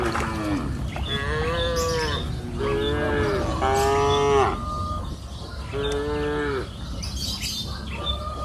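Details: Grazing cows on an open green hillside pasture in the afternoon give a run of five or six overlapping moos, some rising then falling, with faint chirps and steady field ambience behind.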